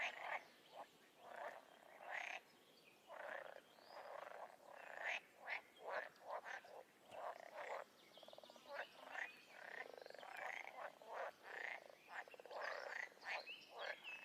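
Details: Wild toads and frogs croaking together: a long stretch of raspy, pulsed calls repeated roughly every half second, many animals overlapping and building into a busy, uneven chorus.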